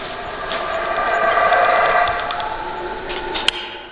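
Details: Howler monkey roaring in a drawn-out, rough chorus that swells through the middle and fades toward the end, with a brief sharp click near the close.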